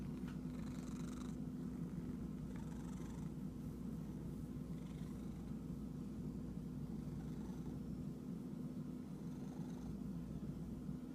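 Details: Itchy cat purring in a steady, continuous low rumble, with short rustling bursts near the start, around 2.5 seconds, and late in the clip.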